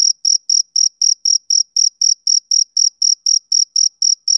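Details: High, even chirps from a male cricket on a summer evening, about four per second, each a brief bright pulse separated by clean silence. Nothing else can be heard.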